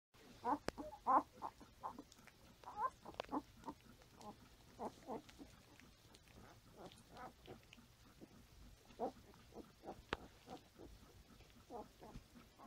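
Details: Five-day-old Standard Poodle puppies give a steady run of soft squeaks and grunts while nursing on their mother and crawling around.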